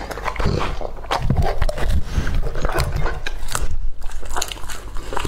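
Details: Lucky, a two-and-a-half-year-old male English Labrador Retriever, eats raw meat indoors in a small room. Dense wet crunching and biting bursts come close to the microphone, with strong low thumps and crackling throughout.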